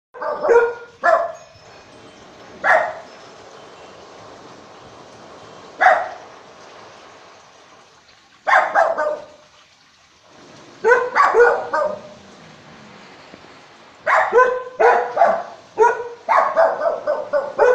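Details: Several house dogs guarding the home while the owner is away, barking as a warning at any footsteps: loud, sharp barks in bursts, some single, others in rapid runs of four to six, with quiet gaps between.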